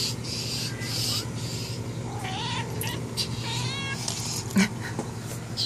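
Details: Cat indoors chats back and forth with a feline friend outside the window. Two wavering meows are heard against constant low background hum and faint clicks.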